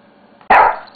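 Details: Single sharp bark from a pet Shih Tzu playing with a mouse pad, a short loud burst after a quiet start, fading over a fraction of a second, with faint background hum.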